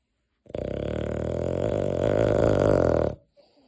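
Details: Deokgu, a pet dog, snoring in its sleep indoors: a single long, low, buzzy rasping snore lasting about two and a half seconds, steady then slightly louder toward the end before cutting off.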